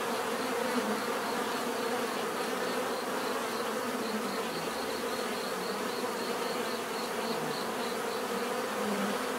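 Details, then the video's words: Bees in nature, a relaxing natural buzzing: a dense, steady hum of many overlapping wingbeats, strongest around the low-mid range with a faint higher band, continuous and even in loudness throughout. "bees therapy relaxing natural buzzing sound"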